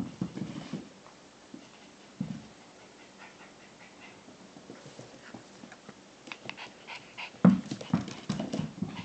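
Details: Playing Shiba Inu puppy, 13 weeks old, makes low rumbling growls: a burst at the start, another near two seconds, and a louder cluster near the end, with light taps and clicks between.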